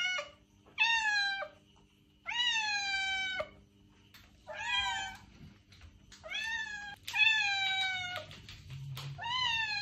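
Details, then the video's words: Meowing cat, sound to attract a stray: about seven harmonic meows of varying length, some short and rising, others long and level, closely spaced, with a low hum beneath. "Cat Meows - To Attract Your Stray Cat!"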